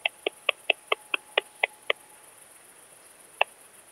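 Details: Ultrasound-detector (Pettersson D 100) recording of Barbitistes constrictus, the eastern saw bush-cricket, in Kleinziegenfeld, Germany, 12 August 2021. Eight crisp ticks come in a fast, slightly uneven burst, then a pause and one lone tick, under constant high-pitched hiss.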